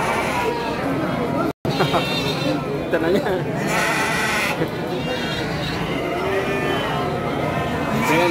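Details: Ewes of the Garut breed from Priangan for sale at Pasar Andir livestock market, 5/4/2021; several quavering bleats sound around the middle and again near the end, half-buried under dense human talk and market bustle.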